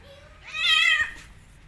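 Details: Domestic cat meowing as a mother cat turns on an orphan kitten after smelling it, having first licked it while grooming her own kittens; a single loud, clear meow rises then falls over about half a second in a quiet room.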